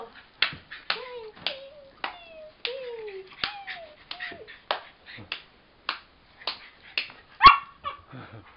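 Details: Jack Russell Terrier dancing, giving short high whines that slide downward, repeated about every half second, mixed with sharp clicks and taps and a louder yelp near the end.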